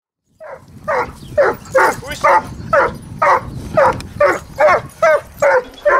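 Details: Boris, a 14-month-old neutered Dobermann shown on and off leash in the city, known for aggression toward other dogs and cats; sharp barks repeat roughly twice a second in a steady run over faint background noise.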